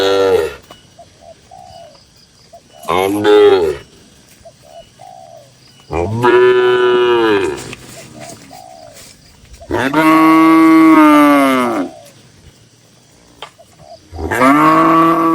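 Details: Dozens of tame cattle in a farm barn, calm and natural; loud, long moos every few seconds, each swelling and sagging in pitch, one lasting about two seconds, with soft pigeon coos in the pauses.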